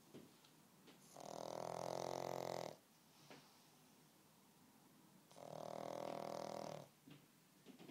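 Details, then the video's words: Sleeping pug snoring: two long, rasping, buzzy snores, each about one and a half seconds and roughly four seconds apart, with faint short breaths in between. "Snoring pug"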